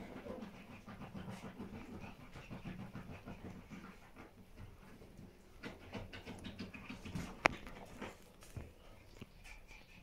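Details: Bambi, a Pomeranian bitch, lies relaxed with her babies in the morning; soft, quick panting breaths run continuously, with a sharp click near the end and faint rustling in the background.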